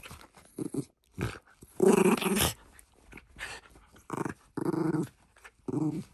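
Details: Shiba Inu named Ranmaru playing with a glove brought to family members, attacking with fangs and front paws; short rough growls in bursts, one longer louder snarl near two seconds, brief pauses of near silence between.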